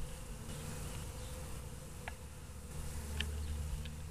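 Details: Western honey bees waking up after a long winter make a steady, low, droning buzz, a dense hum with faint ticks above it.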